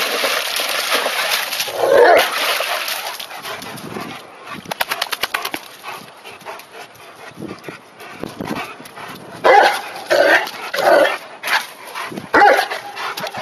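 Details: Rhodesian Ridgeback Ozzy and his buddy Douglas, aged 18 and 16 months, play in the water on their first dip of 2009. Short yelping barks come in bursts near the start and again late in the clip, over constant splashing and a person's voice.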